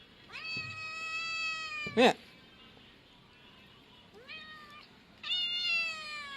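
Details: Young male pet cat meowing: three clear, drawn-out meows with a quick rising start and steady tone, the longest about a second and a half, the last two closer together, with one sharp knock between the first and second.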